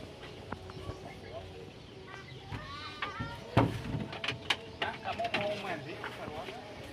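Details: Garut sheep being herded out to graze; a single wavering, quavering bleat rises midway, set against a man's talking, sharp knocks and clatter, and other farmyard noise.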